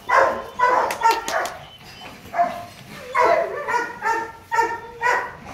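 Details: Loki, a male Rottweiler stud dog nearly two and a half years old at Gervi Kennel, born 15 December 2016, barks during play: harmonic barks in bursts, with irregular gaps and a brief pause mid-sequence.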